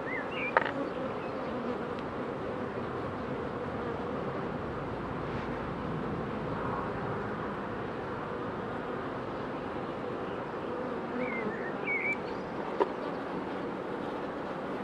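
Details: Buzzing of honey bee queens under pre-narcosis ahead of instrumental insemination, a continuous even droning hum, with occasional faint bird chirps and a couple of sharp clicks in the background.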